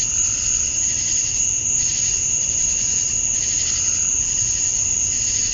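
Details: Male cicadas chirping to attract females at summer dusk in Georgia, USA: a steady, piercing high insect drone with a softer pulsing band beneath that swells and fades every second or so. Faint low rumble underneath.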